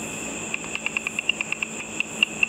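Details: Bats catching insects above a pool at night, their inaudible high calls rendered by an ultrasonic frequency divider detector as a fast, fairly even run of crisp clicks, roughly six per second, over a continuous whine.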